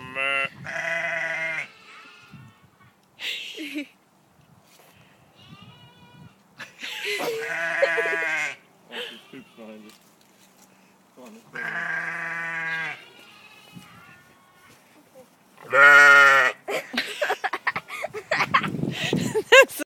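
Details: Sheep give loud, quavering baas, each lasting a second or two, along with burp-like sounds, while a person speaks.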